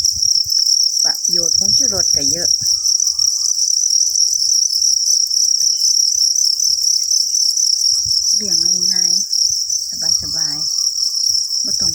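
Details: A group of copper crickets sustains an unbroken, high, ringing chirr, while a man's Thai speech comes in near the start and again toward the end.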